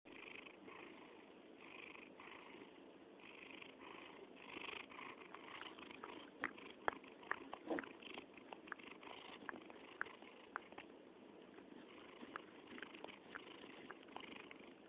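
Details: Black domestic cat purring up close indoors while licking, a steady low rumbling purr with faint wet licking clicks and smacks over it throughout.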